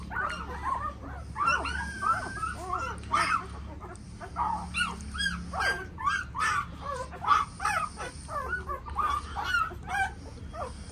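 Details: A litter of Tibetan Mastiff puppies keeps up continuous high whimpering and short yips, with the cries rising and falling in irregular bursts over a low hum.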